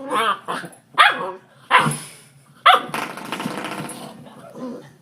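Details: Labrador Retriever puppy, well socialized and happy, giving four sharp, harmonic barks roughly a second apart, then a long stretch of broad rustling noise and a faint final yip.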